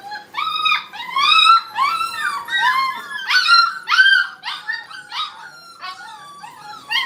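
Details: Several Brittany puppies playing together in a kennel, producing a nearly continuous chorus of high, wavering whines and yelps, overlapping rising and falling cries with a howling quality, fading into softer whimpers near the end.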